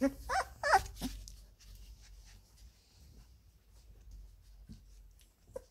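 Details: Labrador Retriever puppies, 17 days old, playing in the whelping box: a quick run of high, harmonic squeaks and yelps in the first second, then near quiet with a few soft shuffles and one faint squeak near the end.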